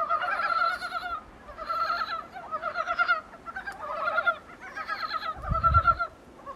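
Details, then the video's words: Dybowski's brown frogs calling, recorded at a small room's window; overlapping rattling, clucking croaks come in uneven waves, and a dull low thump is heard near the end. "북방산개구리 울음소리"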